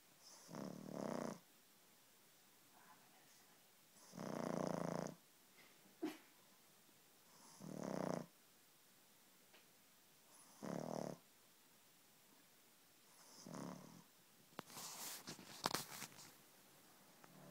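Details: Sleeping six-month-old pug snoring: breathy, rasping snores of about one second, repeated every two to three seconds, some sounding almost human, with scratchy clicking noises toward the end.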